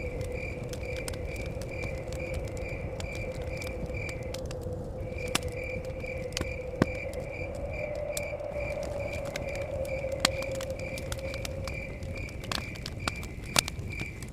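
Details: Crickets chirp in a steady, rapid pulsing trill by a forest cabin, over crackling fire and a low, blowing wind rumble.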